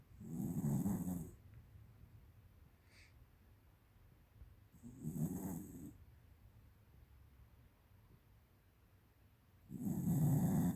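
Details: Deep, gravelly snores from Tiara, a female American Cocker Spaniel aged 13, asleep at home; three long rumbling inhalations spaced roughly four to five seconds apart with hushed breathing between.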